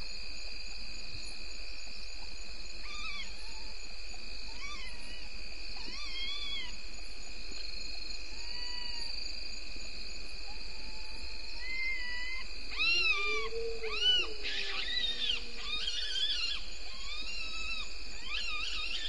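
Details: Bushbaby (galago) calling in early-morning darkness at 03:33 on 2 September 2019 by Gowrie dam waterhole, Djuma Game Reserve, Sabi Sand, South Africa; short arched wailing notes repeat about once a second, then a louder, lower drawn-out cry, over steady insect chirring.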